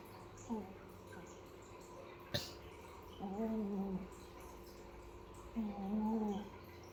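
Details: Kitten Piko, a village cat, snores with drawn-out, slightly rising nasal tones about every two to three seconds, with a sharp click partway through, indoors in a quiet small room.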